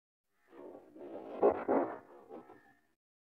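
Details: Cats fighting: a rough, harmonic growling yowl that swells for about two seconds to a loud, harsh peak in the middle, then tails off into a brief thin whine. No other clear sounds.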